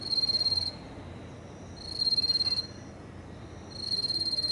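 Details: Small yellow bell cricket singing from grass beside a fence, recorded at close range at 21:49 on 9 September 2018; high, thin pulsed trills last under a second and come roughly every two seconds, three bursts heard over quiet background.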